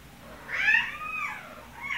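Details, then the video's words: A cat meowing at the vet's office: one drawn-out, rising-then-falling meow lasting about a second, followed by the start of another, indoors with a low background hum. "at the Vet's Office - Meowing"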